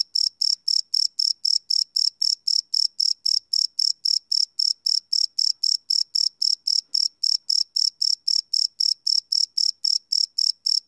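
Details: Crickets chirping after dark, recorded live with no loops: continuous shrill pulses, close to four each second, very regular throughout, with nothing else audible.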